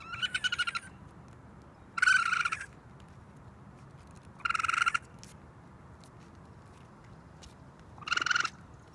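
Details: Raccoon baby on a roof crying for its mother: four loud, strained, harmonic screams, each under a second, spaced roughly two seconds apart against a quiet low hum.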